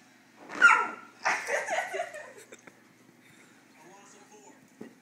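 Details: Husky named Boomer, indoors in a small room, reacting to a foot massager he thinks sounds like a cat: two loud, whiny, yowling bursts in the first two seconds, then softer short sounds, with people talking nearby.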